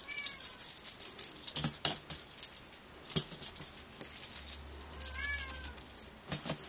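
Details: Sealpoint Ragdoll kitten with a purple collar, born 25 January 2024, recorded 25 March 2024 in a home; several short thin rising meows between clattering taps, rattles and a steady high whine.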